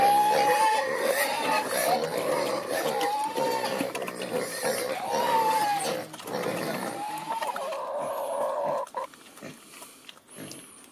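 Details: Morning feeding of Creole pigs in rural Haiti, heard from a window; repeated drawn-out squeals with arched pitch, overlapping grunts, fading to quieter snorts near the end, with high faint chirps from birds.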